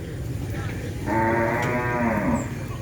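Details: Madura cattle, a champion racing bull at a prestigious kerapan sapi bull race, gives one drawn-out, rich harmonic moo lasting about a second and a half, steady then dipping at the end, over low crowd rumble.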